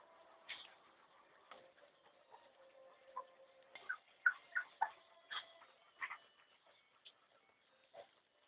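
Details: Chocolate Labrador Retriever puppies from the litter of Juanita de Balseras Can, giving short, high squeaky whimpers, several clustered in quick succession mid-clip, amid soft rustling and clicking.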